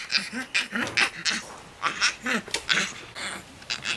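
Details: Young rescued Yucatan black howler monkey named Tuli, angry at other rescued monkeys, yelling at them: short harsh squealing cries in quick bursts, several per second, with brief pauses between.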